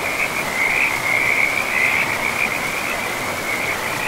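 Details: Frogs calling by a river in a pristine forest: a dense, trilling chorus held on one high, steady pitch, pulsing almost without a break over the constant broad rush of flowing water.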